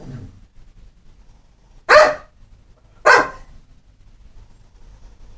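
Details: Pit bull, described as not mean or vicious, giving two loud single barks about a second apart, each a short broadband burst, in a quiet indoor setting.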